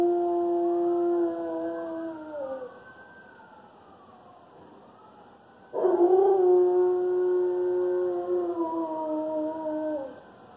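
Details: A one-year-old Alaskan Malamute, howling for apparently the first time, gives two long, wavering howls that slide down in pitch at the end.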